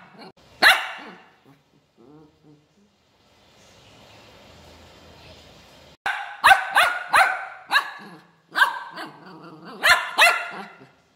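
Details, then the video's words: Pet puppy barking angrily: one sharp bark and soft grumbles, a pause with faint background hiss, then a rapid burst of loud, rasping barks in uneven clusters. "ANGRY BUBBLY DOG BARKING"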